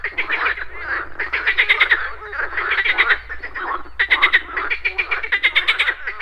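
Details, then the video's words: Morning pond chorus of many frogs: bursts of rapid, ratcheting croak pulses overlapping one another, swelling and easing every second or two, with short lulls between waves over a faint low rumble. "Frogs Croaking"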